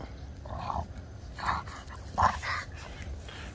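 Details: A French Bulldog pup named Winston, merle brown, plays with Scarlet, a French Mastiff, both family pets. Short, scattered yelping barks, about four in quick succession, with low rumbling noise and faint speech.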